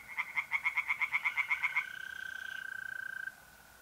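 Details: Rapid pulsed croaks from a tree frog in an April night pond chorus in north-eastern Italy, about a dozen quick beats in under two seconds, then a steady high mole cricket trill left ringing alone.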